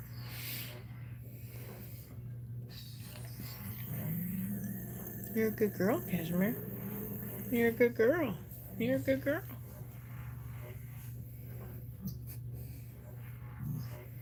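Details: A Cane Corso crying while another dog, Cashmere, is in labour indoors: short bursts of wavering, bending whimpers that rise and fall in pitch, clustered mid-clip, over a steady low electrical hum.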